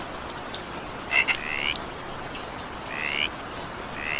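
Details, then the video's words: A frog in the evening rain gives a quick clicking double note followed by upward-sweeping chirps, then pauses before another short rising call, with rain hissing steadily behind. "evening rain sound effect with frog sound"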